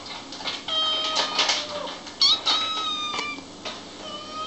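Kittens meow in high, thin, wavering cries, several overlapping in quick succession.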